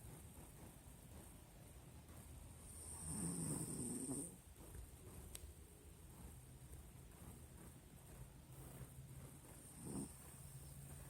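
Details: Sleeping Pinscher Nina gives one long rasping snore lasting about a second, then soft breaths and a faint later snuffle; a gentle woman's voice follows.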